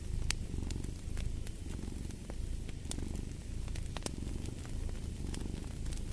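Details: Low, continuous rumbling purr of a cat, its breath cycles faintly audible as gentle surges, with scattered snaps and pops of a crackling fire throughout.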